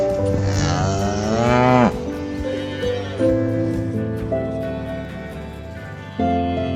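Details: A single cow moo near the start, a rising nasal bellow lasting under two seconds, followed by instrumental music carrying on alone for the rest.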